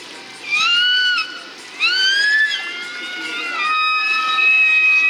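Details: Killer whales communicating, played back at SeaWorld San Diego on 5 December 2015: three rising, strongly harmonic squealing calls, each sweeping up sharply then levelling off, the last one longest, with light room noise.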